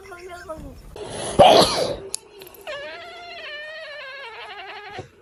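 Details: Pet cat making strange noises indoors: after a burst of voices and rustling, a long steady yowling tone holds for about two seconds, wavering and trembling toward its end.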